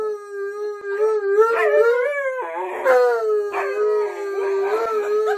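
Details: Pet Alaskan Malamute Tonka howls at its owner in the bathroom; a long tone that slowly rises, then drops abruptly partway through and continues level, with gravelly, talk-like modulations throughout.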